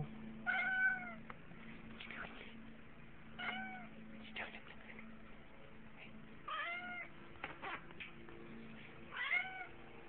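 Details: A cat gives about five short, arched meows spread over ten seconds, each rising then falling slightly, with a steady low hum running underneath.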